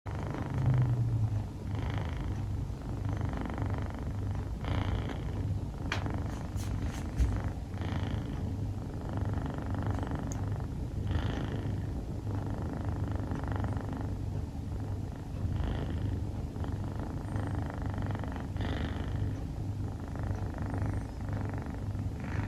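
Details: Rufu, a female dilute calico Scottish Fold kitten, dozing and snoring: a steady low rumbling drone with soft breathy swells roughly every three seconds, no other clear sounds.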